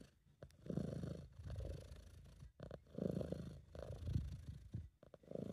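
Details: Contented British Shorthair cat purring, a sound made when it feels relaxed and happy; amateur recording. Steady low rumble with a buzzy grain, rising and falling with each breath, no gaps between cycles.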